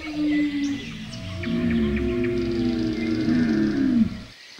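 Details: Camel's layered, droning bellow, a short tone first, then a long wavering harmonic moan that swells and ends abruptly, with light bird chirps above.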